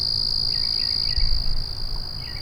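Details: Cricket. A continuous, shrill trill from crickets holds one high pitch without a break. Faint, short chirps from other callers sit just below it, over a low, steady rumble.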